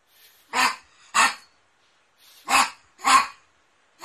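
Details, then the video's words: Dandy, a poodle, barks in short, loud bursts: two barks half a second apart, a gap of over a second, then another close pair and the start of a fifth, with faint softer sounds before some barks. "POODLE BARKING - POODLE HOWLING AND BARKING COMPILATION 2016"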